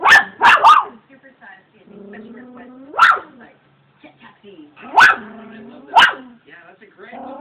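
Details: Pet Shih Tzu dog playing indoors, giving sharp yapping barks: a quick double bark at the start, then single barks at about three, five and six seconds, with soft human speech murmuring between them.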